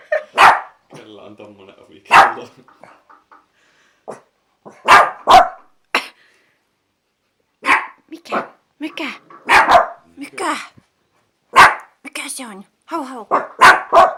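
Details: Kleinspitz pet dog indoors barking at strange noises, with a Chinese Crested Dog nearby; sharp single barks spaced one to two seconds apart over about fourteen seconds, mixed with a person's speech.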